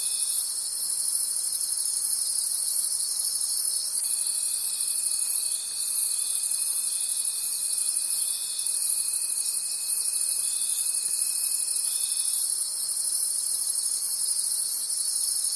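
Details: Crickets calling at night in a forest: a dense, high-pitched shimmering chorus pulsing about three times per second, with a thin steady lower whine running from the fourth to the twelfth second.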